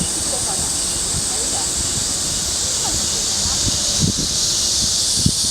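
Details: Cicadas sing on a summer afternoon at Mujinjeong, 2 August 2021 around 1 pm: a steady, dense high hiss that never breaks, with faint voices and scattered low knocks underneath.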